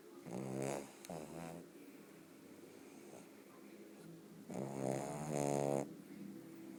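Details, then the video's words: Sleeping pug Bóris gives rough, rattling snores, a short pair early on and a longer, louder one later, with soft breathing between them in a quiet room. "Pug Bóris Roncando"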